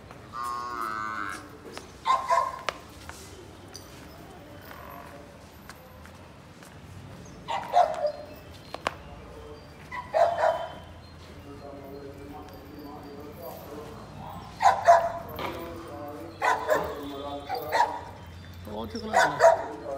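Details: Murrah buffalo, a dairy animal giving 16 to 18 litres of milk: drawn-out tonal moos recur in bursts across the recording, spaced several seconds apart, with quieter background voices.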